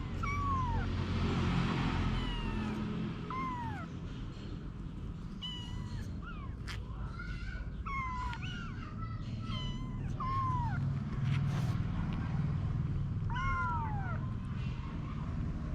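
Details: Mother cat Anna with her kittens; thin, high meows, some downward-curving and some short and clipped, scattered through a steady low background hum.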